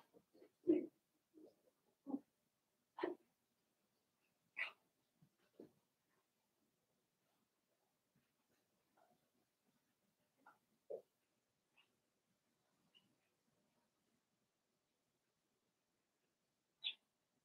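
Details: Daisy's litter of Cavalier King Charles Spaniel puppies, four weeks old, makes short, isolated yips and grunts from the puppy pen. Clustered in the first five seconds, they grow sparse, with one high squeak near the end and quiet gaps between.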